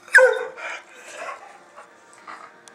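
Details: One abrupt bark from Oscar, a dog being put through tricks with puppies, followed by softer trailing sounds and indistinct household noise over the next two seconds.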